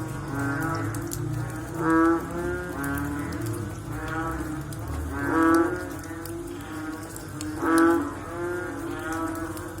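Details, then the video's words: Frogs after rain give drawn-out, low groaning calls; three stronger calls stand out at about two, five and a half and eight seconds amid softer overlapping voices and steady background noise. "Sound After Rain With Sound of Frog / Bunyi Selepas Hujan Pakej Bunyi Katak"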